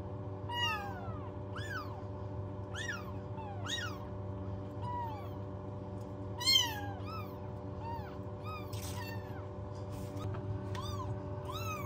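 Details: Rapid, overlapping high-pitched meows from several newborn kittens rescued without their mother and housed in a warming box at home. Each cry is short and falls in pitch, over a continuous low electrical hum.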